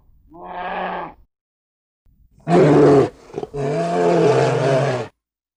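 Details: Spectacled bear from Argentina gives three harmonic, groaning calls: a short moan in the first second, then a loud rough burst and a longer, steady, throaty moan lasting about one and a half seconds.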